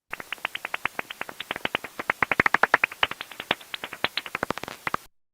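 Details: A bat's echolocation call, normally too high-pitched to hear, lowered in pitch to audible range: a fast train of sharp clicks, bursts of sound that bounce off objects in its environment.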